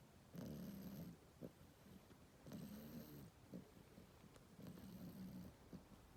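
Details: French Bulldog puppy, sixteen weeks old, asleep in the morning and snoring: low rumbling breaths about every two seconds, each lasting under a second, with soft clicks and faint hiss between them.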